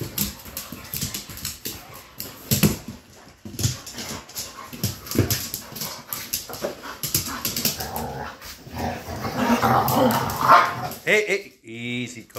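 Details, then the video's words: Pit bull fight: a dense, continuous jumble of harsh snarls, yelps and scuffling, with loud bursts near the end and a man's voice calling for calm. "Pitbull Fight"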